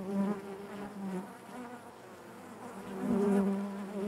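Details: Honey bees buzzing within the hive: a smooth low hum that dips softer mid-clip and swells again toward the end, rich in overtones.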